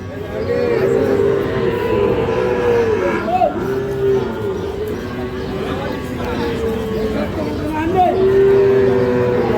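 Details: Sahiwal breed bull calves raised for fattening, for sale at Ambari haat market, Parbatipur, Dinajpur, on 11 May; several long, low, drawn-out moos at intervals under steady bargaining talk and crowd noise.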